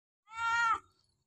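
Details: Hungry cat being fed, giving a single steady, tonal meow of about half a second, level in pitch and cut off sharply, with soft speech coaxing it to eat just after.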